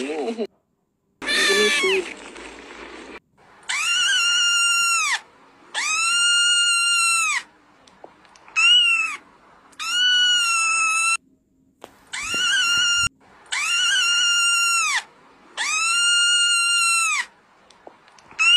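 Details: Stray street cat meowing repeatedly, long loud harmonic-rich meows with a slight rise and fall, each lasting one to one and a half seconds and separated by short pauses; a brief burst of other noise near the start.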